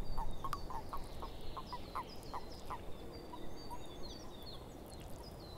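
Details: Frogs calling in a swamp: a run of short, knocking croaks at a brisk, uneven pace, loudest at the start and thinning out later, with high thin bird chirps above and a steady hiss behind.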